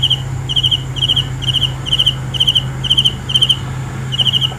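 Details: High, bright cricket chirps, each a rapid burst of several pulses, repeated roughly twice a second in an uneven rhythm, with a steady low hum beneath.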